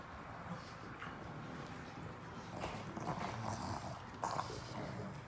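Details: A pug busy with a treat: short nasal snorts and snuffles come in uneven bursts with soft munching noises, recorded close in a quiet indoor space.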